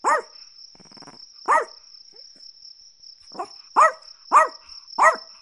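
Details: Chihuahua barking: short, high-pitched yaps with bright harmonics, two isolated barks then a quick run of four; a steady high insect-like whine runs underneath throughout.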